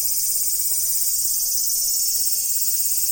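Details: Cicadas droning in a steady, unbroken high-pitched buzz with a faint pulsing texture and no other clear sounds.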